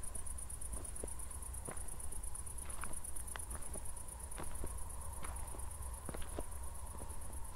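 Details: After a recent thunderstorm near Zwettl, Austria, crickets keep up an unbroken, rapidly pulsing high trill at night while a walker's steps tap and scuff beneath it.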